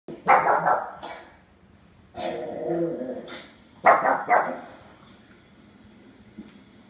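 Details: Pug puppy indoors barking at dogs it hears from videos on a big television screen; three bursts of loud, sharp, repeated barks about every two seconds, with quieter background sound between them.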